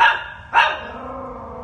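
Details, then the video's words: A terrified one-year-old female chihuahua trapped 10ft down a manhole in woods near Kansas City, Missouri, on a Sunday afternoon gives two sharp, high barks about half a second apart, with a man speaking soothingly nearby. "Terrified chihuahua found trapped in 10ft manhole"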